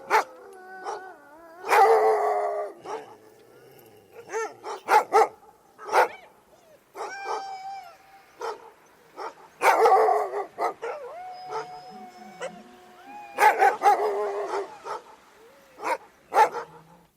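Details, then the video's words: A group of dogs barks and howls together, with dense overlapping barks alongside long steady and sliding howled tones, some faint lower whines, and busy, nearly continuous calling throughout. "Dogs Barking And Howling"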